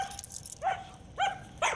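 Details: German Shepherd with aggression issues, reactive to other dogs, squirrels, cats, birds and vehicles, brought for training; three short rising yips or whines within two seconds, each with a bright tonal onset, over a quiet low hum.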